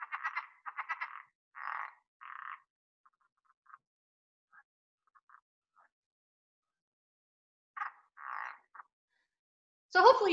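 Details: A Southern leopard frog in the Southeast Texas (Houston) area gives rapid, rattling chuckles, like a finger rubbed squeakily along a balloon.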